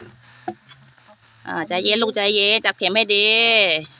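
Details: Water buffalo calling while its young female owner gives it an injection: a loud, harmonic, drawn-out bawl in two long bursts of over a second each, preceded by quiet clicks and low background hum.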